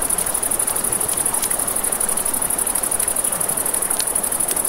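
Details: A nighttime riverside chorus of crickets gives a steady piercing trill, joined by several crisp pops of a crackling campfire and the low murmur of the river.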